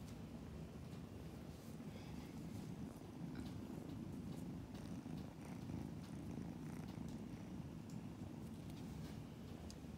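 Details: Kittens purring while being cuddled indoors: a steady, low, continuous rumbling purr runs unbroken through the whole stretch, with soft handling noises and a faint human voice.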